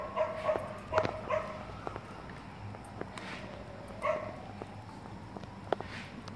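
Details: Gordon setter in an obedience training session, a few sharp, high whimpering yelps clustered at the start, then sparse single yelps among soft clicks and handling noises.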